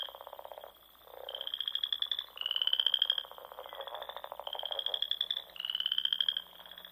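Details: Several frogs trilling at dusk in the Sandhills of Nebraska in spring; shrill pulsed trills of about a second alternate between callers, with a lower, rougher trill heard at the start.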